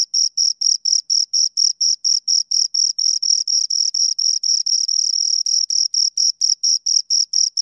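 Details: Two crickets produce continuous shrill chirps, short pulses in a regular beat, some running closer together midway as the two callers overlap; quiet background.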